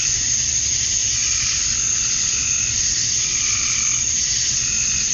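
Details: Male cicadas chirping to attract females at summer dusk in Georgia, USA: a dense, steady, high-pitched hissing buzz with no pauses, joined near the end by a fainter, lower wavering note.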